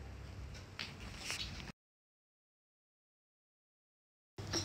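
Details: Brief clattering, door-like noise broken by a stretch of total silence, with no goat or other animal call.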